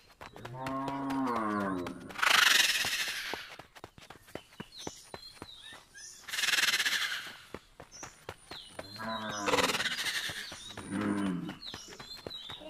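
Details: Old bull being bathed at a market, lowing in short repeated moos at the start, middle and end, broken by loud bursts of splashing or spraying water and busy clattering background noise.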